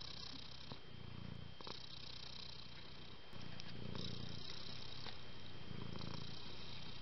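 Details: Pet cat purring: a low, rumbling drone that swells and fades in cycles about every two seconds as it breathes in and out, over a steady faint background hiss.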